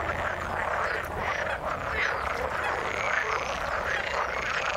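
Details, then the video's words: A dense frog chorus from the water, unbroken overlapping croaking with faint thin high notes drifting above. "Frog sound in the water"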